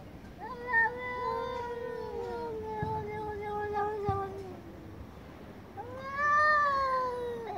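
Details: Angry domestic cats meowing very loudly together: long sliding, gradually falling yowls overlapping, two soft knocks midway, then a loud rising-and-falling howl.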